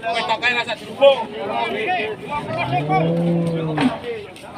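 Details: Raging cattle on the loose after chasing residents. People talk for the first seconds, then a single long, steady low moo swells and holds for about a second and a half before fading.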